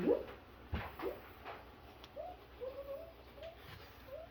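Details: Double Doodle puppies, five weeks old, kept indoors: a run of short, thin whimpering squeaks repeated about every half second in the second half, after a few soft thumps and rustles at the start.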